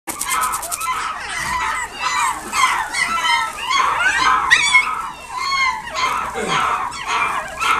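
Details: Dog at a pet shop in Nagoya, Japan, giving a continuous run of high whining and yelping calls, many with rising and falling sweeps, overlapping one another throughout.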